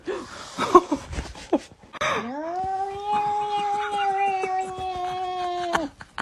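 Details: Domestic cat giving a long, steady, drawn-out yowl lasting about three and a half seconds, held on an even low pitch with a rich harmonic tone, after a stretch of human speech and clatter indoors.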